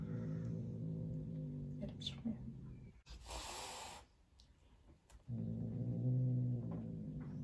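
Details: Female Turkish Van cat, angry at her roommate, gives a low sustained growl, breaks into a short breathy hiss, pauses, then resumes a deeper rumbling growl to the end.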